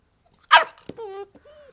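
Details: Rottweiler puppy in its first six months, playfully biting its owner's hand: one sharp, harsh bark, then a click and two short, high whining notes, with a man speaking nearby.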